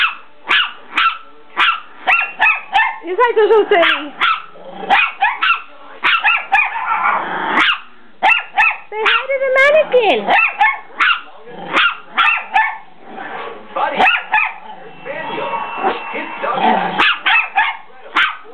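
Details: Dogs attacking in play, a rapid series of short yelps and barks roughly every half second, with whining slides and growls mixed in throughout.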